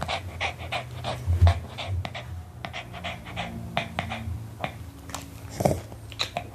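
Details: A Pomeranian dog eating an apple, breathing in quick, uneven panting huffs broken by sharp crunching clicks and a deep low hum underneath.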